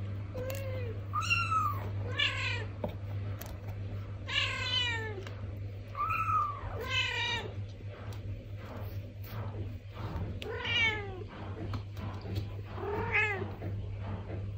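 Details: A Traditional Siamese mother cat and her kitten in the Netherlands trade repeated meows, some high and thin, others fuller and falling. The kitten complains after tasting cat litter and the mother tells her how to use the litter box.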